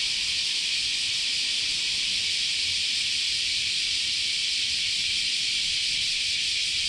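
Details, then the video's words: Cicadas in summer at Chionji Temple in Kyoto, Japan, forming one massed, continuous shrill drone of overlapping insects, even in level from start to finish. "Sounds of Japanese Summer, Continuous Chorus of Cicadas"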